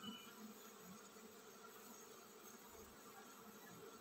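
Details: A honey bee colony preparing to swarm, its massed bees making a constant low, even buzzing drone for four seconds.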